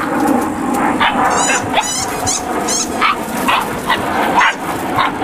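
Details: Eight-week-old Malinois puppies in a litter yipping and squealing, overlapping high barks repeated several times a second over a steady noisy background with scattered clicks.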